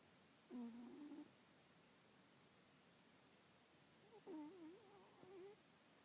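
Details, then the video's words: A sleeping pet cat with nasal congestion snoring: two soft, whistly nasal tones, the second wavering and longer, separated by about three seconds of quiet hiss. "Sleepy kitty, snoring kitty"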